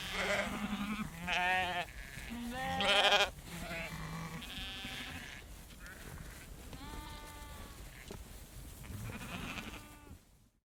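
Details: Herd of sheep walking around close while a female farmer shakes food; several overlapping bleats from different animals, some deep and quavering, others higher and thinner, with rustling and movement noise throughout.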